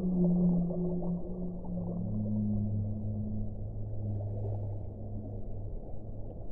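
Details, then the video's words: Whale song: deep drawn-out moans in overlapping low tones, each held for several seconds, over a steady rumbling, watery background hum. "suono delle balene"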